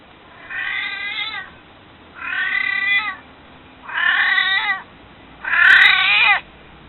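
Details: Old pet cat, almost 22, pleading to be held with four drawn-out, plaintive meows roughly every 1.5 seconds, rising in loudness toward the last, with a brief faint click near the final call.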